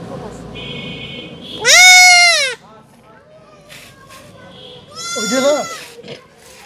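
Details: Goat kid bleating while being castrated: two loud, high, strained bleats, the first long and slightly falling, the second shorter and wavering, with quieter voices and handling noise between them.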